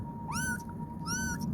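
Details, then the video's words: A kitten calls for its mother with two clear, rising meows, each bending upward then levelling off, about three-quarters of a second apart, over a steady faint electrical hum and low background rumble. "kitten sound .cute and adorable baby cat,noise."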